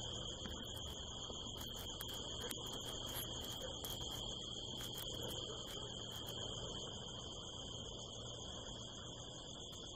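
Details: A chorus of crickets at night in the California desert hills, harvest moon overhead: a sustained high trill with a higher echoing band, interrupted by scattered crackling clicks in the first half over a steady low rumble.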